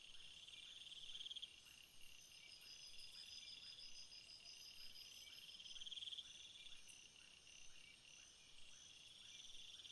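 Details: Night chorus of crickets, many overlapping rapid pulsed trills at different pitches, a higher ticking voice breaking in briefly and brief louder chirp bursts rising above the continuous insect hum.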